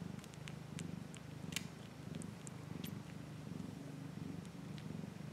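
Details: A cat purring steadily: a low, even rumble pulsing about one and a half times per second, with faint scattered clicks and rustles above it throughout.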